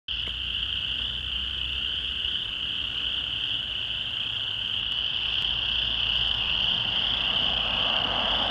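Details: A loud chorus of chorus frogs in a rain pond near Brewery Hill, Lethbridge, on June 22, 2013: many high rasping trills blending into one continuous shrill drone, seemingly louder when vehicles pass.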